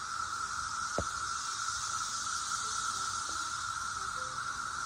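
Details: Cicadas recorded in 2021 fill the air with a steady, droning buzz that holds one high pitch throughout.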